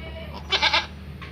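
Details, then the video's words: Kacang goat giving birth to a Boer-cross kid on a farm, one of the farm's trials to breed meat goats; a short bleat with three quick pulses, over a steady low hum. "Kambing Kacang Melahirkan Anakan Kambing Boer"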